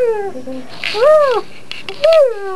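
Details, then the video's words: Harley, a pet pit bull, makes ridiculous noises from under the bed indoors: short arched, whiny tonal cries rising and falling, with a drawn-out lower moan at the start and a quiet pause between two bright yelps. "Funny Pitbull Sounds"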